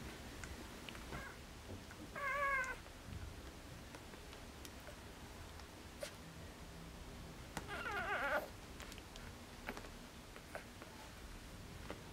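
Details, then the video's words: Four-day-old Border Collie puppies from a litter born 29 August 2014, recorded 2 September 2014: two short, high, wavering squeals about six seconds apart, with soft rustling and low background hum between them. "Border collie puppies (4 days old)"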